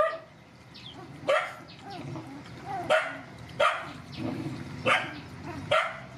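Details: Rescue mother dogs and puppies at feeding time; five sharp barks spaced about a second apart, separated by quieter background murmur and rustling.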